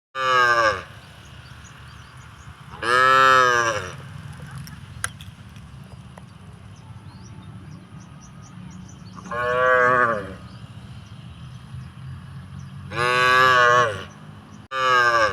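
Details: In a village, cows competing for drinking water give loud, drawn-out moos, each about a second long, with pauses between them.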